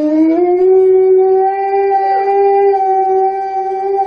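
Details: A sustained howl from Alaskan Malamute puppies playing with kids: it slides upward at the start, then holds a level, clear tone for about four seconds, with a brief second rising voice overlapping near the middle.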